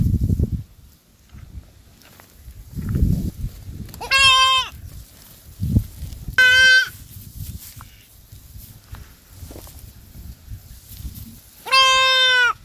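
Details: Goat bleating three times, each call a nasal, wavering bleat of under a second, spaced a few seconds apart, with soft rustling and thumps in between.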